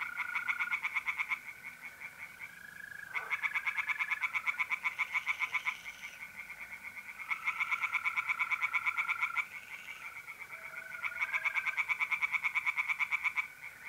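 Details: Pond chorus of tree frogs on an April night in north-east Italy, with rapid pulsed croaking bouts lasting two to three seconds, alternating with quieter stretches where the continuous ringing trill of mole crickets and a few wavering notes carry on.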